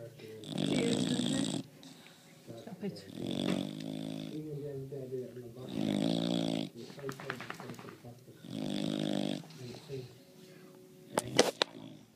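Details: Very loud snoring from a sleeping bulldog at home, with a Rottweiler nearby. Rough, rattling snore breaths come every two to three seconds, and a woman talks and laughs between them.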